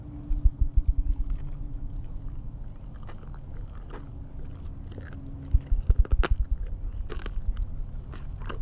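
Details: An elderly 18-year-old lion at Big Cat Rescue chews a leg bone. Two bursts of rapid, deep throbbing pulses are separated by quieter low grinding, with sharp snaps near the end and a constant high electronic whine.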